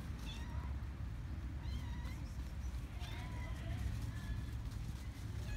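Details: Hungry stray cats and kittens mobbing people on Cat Island, Istanbul, Turkey. Several high, wavering meows rise and fall one after another over a steady low rumble of traffic or wind, with a brief human voice.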